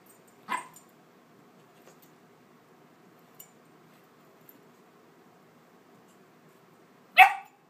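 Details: A puppy and a dog playing together indoors; two sharp single barks, about six and a half seconds apart, with near silence between them.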